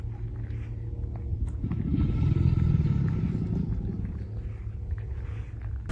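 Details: Male American alligator in the Everglades, Florida, heard on a walk, bellowing to attract females or intimidate other males: a deep low rumble that swells from about one and a half to three and a half seconds, then fades over a steady low drone.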